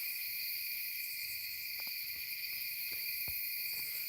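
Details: Crickets chirping loudly at a campsite backed up to a tree line, near a small creek about 150 to 200 feet away; a dense, steady, high-pitched chorus in several shrill layers, with a few faint clicks.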